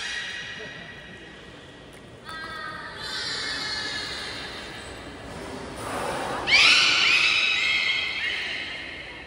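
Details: Captive belugas at Port of Nagoya Public Aquarium, Japan, during a training session with the whole group on 16 November 2024; harmonic, nasal calls swell after two seconds, then a louder upward-sweeping squeal near the end, with indoor hall reverberation.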